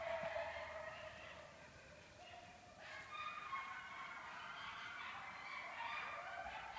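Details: Several wild coyotes in a chorus during their annual mating ritual, right behind a house with a barn, after dark on 03/06/2014: overlapping wavering high howls and yips with sliding pitch, continuous and layered throughout.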